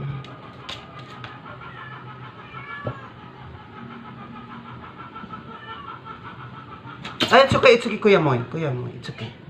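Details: During force-feeding, a weak stray cat stays quiet through low murmuring and room noise, then lets out a sudden loud, strained cry that sweeps downward in pitch near the end.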